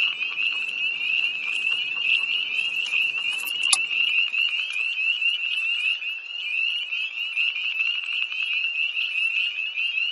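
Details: Tree frogs calling by a pond near Hillsborough, North Carolina, on a cold night, 1 March 2011, heard from a parked car: a dense, steady chorus of high, shrill peeps overlapping continuously, with a low rumble fading out in the first four seconds.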